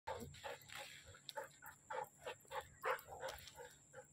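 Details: Siberian Husky giving a quiet series of short, harmonic yips, each lasting a fraction of a second and repeated roughly every half second, with a low steady hum behind.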